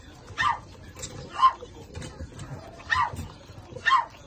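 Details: Shih Tzu puppies, two males and two females, of a small-sized line with their mother nearby, give short high yelping calls about once a second, four main bursts over soft background murmur.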